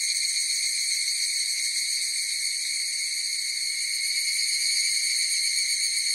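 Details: Higurashi cicadas singing together as an unbroken shrill, whistle-like hum with layered overtones and a faint, uneven flutter throughout; nothing else audible.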